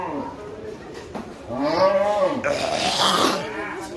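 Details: Brahman bull running wild at a Qurbani cattle market gives a drawn-out, rising then falling bellow in the middle, while men shout instructions about ropes and restraining it.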